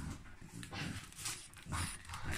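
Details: A French Bulldog indoors receiving its Christmas present gives soft whimpering, snuffling sounds and panting in short bursts, with a woman's voice nearby praising it.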